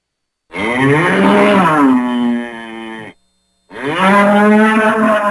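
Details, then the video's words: A bull lowing twice on a farm: a long, rich, harmonic moo that slides slightly downward and fades after about two and a half seconds, then a short pause and a second strong, steady bellow. "Bull sounds"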